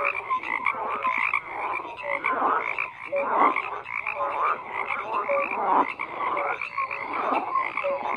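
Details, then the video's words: A dense frog chorus: many overlapping croaks and short tonal notes around the mid range, pulsing continuously with no pause, harsher upper bands layered over steady background calling. "FROGS CROAKING"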